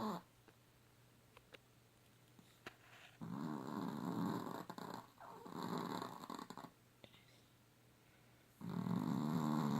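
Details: Pet dog named Hallie snoring, keeping its owner awake at night; low rasping breaths in long rattling bouts with quiet gaps between them.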